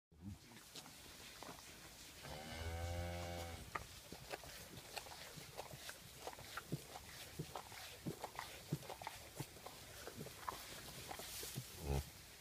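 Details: Newborn Galloway bull calf in a barn on a Wednesday evening: a single low, harmonic moo of just over a second, followed by scattered clicks, rustling and shuffling in the stall.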